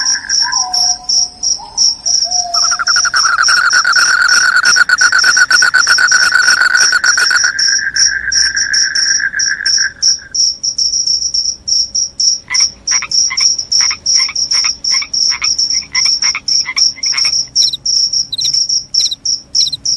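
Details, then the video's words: Shrill cricket calling, offered as a rat-repelling, sleep-inducing sound: a constant high trill with a lower buzzing trill for the first ten seconds, then separate sharp chirps with brief lower clicks, repeated roughly three per second. "SUARA JANGKRIK PENGUSIR TIKUS, JANGKRIK JANGKRIK SUARA NYARING BIKIN NGANTUK"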